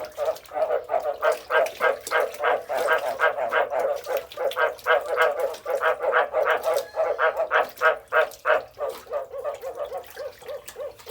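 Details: Frog. Low, nasal croaks follow one another in a quick, fairly even rhythm, about three per second. Each note is short and throaty, with a slight buzzy ring. No other clear sounds are present.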